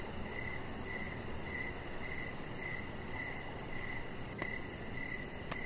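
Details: Crickets chirping outside in the evening beside a deck, steady short pulsed chirps repeating about twice a second over a constant low rumble and a faint high shimmer.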